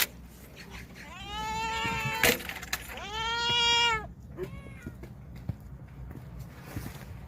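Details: Stray cats from a vegetable garden, about to be fed a special nourishing meal, give two long, loud, drawn-out meows with rich harmonics, followed by shorter faint mews and scattered clatter.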